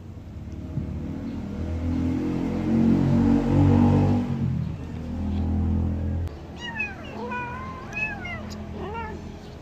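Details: Loud rumbling, roaring noise fills the first six seconds, then baby kittens drinking milk let out about five quick, high, wavering mews close together.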